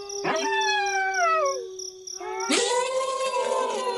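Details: A wolf's clear howl glides slowly downward and fades, then after a short gap a fuller chorus of wolves bursts in with sustained, overlapping tones over steady high background chirping.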